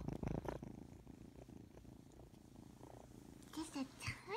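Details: Small kitten purring steadily in a low rapid rhythm, then a few short high squeaks near the end, with a woman's voice speaking softly to it.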